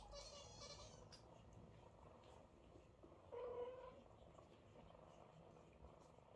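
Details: Mother cat with kittens lined up to be washed, kissed and fed; a soft hissy rustle opens, then midway a single mid-pitched drawn-out meow, surrounded by quiet room sounds.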